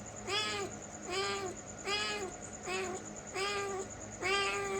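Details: Cat meowing: six clear, drawn-out meows, each about half a second long, repeated at a fairly steady pace with short gaps between. Every meow is tonal and harmonic-rich and bends slightly up then down.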